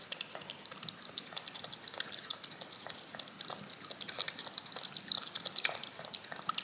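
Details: Cat licking yogurt off a spoon indoors, looped: a steady run of soft, wet clicking and smacking lapping noises, irregular and quick, with a quiet room background.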